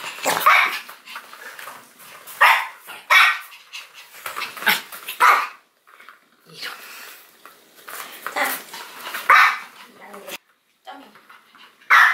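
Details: Pomeranian named Binu, described as timid, attempting a toilet paper wall jump challenge indoors; short bright barks and yelps in uneven bursts, a few seconds apart, with brief pauses and some human voices mixed in.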